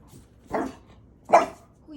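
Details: Maui, a French Bulldog, barks at an unseen 'ghost' indoors where nobody is there: two short, gruff barks about three-quarters of a second apart, with a faint voice before and after.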